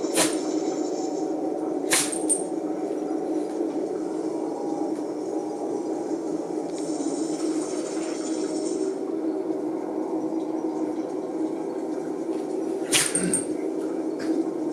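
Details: A Shiba Inu sneezes repeatedly in sharp, explosive bursts over a steady indoor hum; the owner jokingly suspects another dog's smell is the cause.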